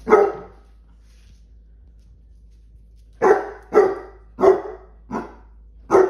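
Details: Pet basset hounds barking at a big Mr. Peeps Easter toy. One loud bark, a three-second pause, then five sharp barks in a quick, uneven run, indoors in a small room.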